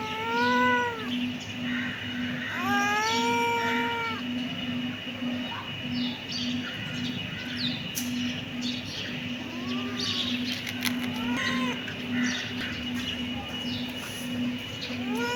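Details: Kitten meowing: two clear arched meows near the start, then fainter, shorter mews scattered through the rest, over a pulsing low hum and some clicking noises.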